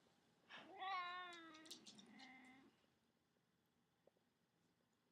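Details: Cat lying in a baby cradle indoors lets out a wavering meow that rises then falls, trailing into a softer second note, followed by near silence in a quiet room.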